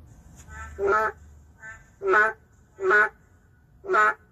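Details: Narrow-mouthed frog, an endangered species, calling within a city: four loud, blaring, duck-like croaks about a second apart, with fainter answering notes from another frog in between.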